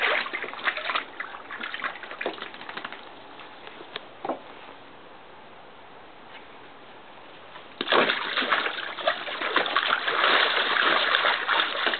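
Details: Water sloshes and splashes in a dog's pool on a hot summer day, quiet in the middle and then bursting into heavy splashing after eight seconds, with no barking.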